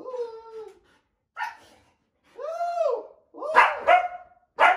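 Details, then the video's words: Female Siberian Husky, nearly two years old, indoors, reacting with worry to her owner hiding under the bed covers: drawn-out whining notes, a rising and falling howl-like moan, then short sharp yips and barks with brief pauses between. "Hilarious Growling Husky Puppy Reaction To Me Hiding Under The Bed Covers!"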